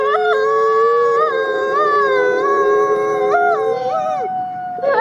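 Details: Captive-born gray wolf Nikai, an ambassador wolf at the Wolf Conservation Center, South Salem, NY: sustained howling with overlapping tones that step up and slide down in wavering bends, the pitch held fairly level throughout.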